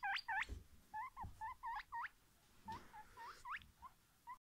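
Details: Guinea pig (Cavia porcellus), squeaks.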